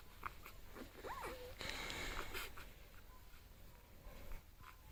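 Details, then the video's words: Six-day-old bulldog puppies whimpering as they dream indoors: a single short squeaky whine that rises then dips and levels off, followed by a breathy, wheezy rush of snuffling and faint soft clicks. "Dreaming bulldog puppies"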